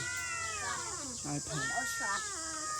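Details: Domestic cat giving two drawn-out, slightly falling meows over a steady high-pitched background hiss, with brief human voices in Khmer between them.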